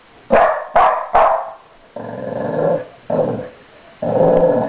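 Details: Guarding his bone on the bed, Blue the dog gives three quick sharp barks, then switches to long, low, drawn-out growls repeated three times.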